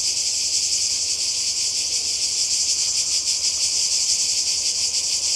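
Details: A chorus of cicadas by the Croatian sea, holiday 2020, buzzing shrilly and without pause, the whirring pulsing slightly faster and stronger in the middle of the stretch.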